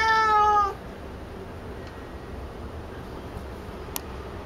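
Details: Picchi, a female cat eager for a ball of her own brushed-out hair, gives one short harmonic meow at the start, followed by near silence.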